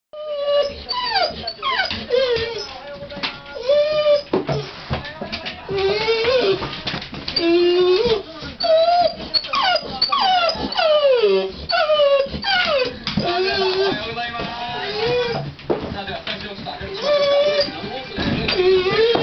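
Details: Pet dog pacing back and forth, whining in apparent discontent while a TV shopping programme plays: continuous rising and falling whimpers and yips, some sliding upward, overlapping with the television presenter's speech throughout.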